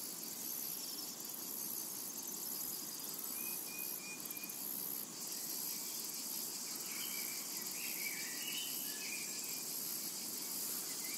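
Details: Cicadas in a summer meadow: a dense, unbroken high-pitched hiss and shimmer that never pauses, with a steady low rumble of background noise and a few short, thin bird whistles in the second half.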